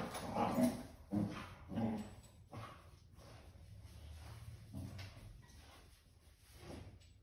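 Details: Basset Hound puppy together with a senior Basset Hound, two dogs indoors; three loud, short harmonic yips and barks within the first two seconds, followed by softer scattered whimpers and muffled bursts around five and seven seconds.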